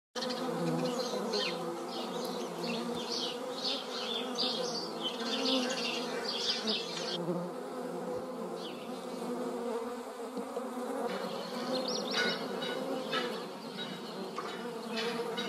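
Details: Several European hornets meet in flight in a garden in the Eifel, giving a deep, droning buzz that swells and sags as they circle near each other, with faint higher rustling and chirpy background sounds.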